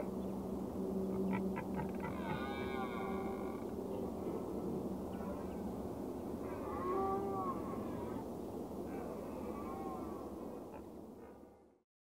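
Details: Cervus elaphus, the red deer, calling in several separate wavering, harmonic moans: a cluster early on, another near the middle and a fainter one later. A constant low hiss runs underneath, then sound cuts out near the end.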